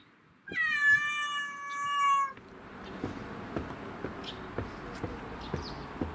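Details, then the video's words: An excited black-and-white house cat, back in its favourite bicycle basket after a long break, gives one loud, sustained, steady meow lasting nearly two seconds. Then a hissing background noise follows with light knocks. "鳴き声がかわいい〜ママチャリに乗る猫「ハッチ」…カゴに入ってウキウキ！？Cat Meowing"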